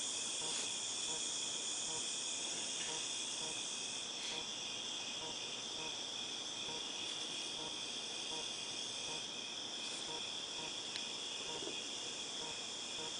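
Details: Cicadas in August 2018 producing a sustained high, ringing buzz with a few brief louder clicks scattered through it and faint irregular pulses below.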